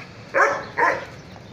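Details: Caucasian Shepherd Dog giving two short, deep, harmonic barks about half a second apart over a low background hum.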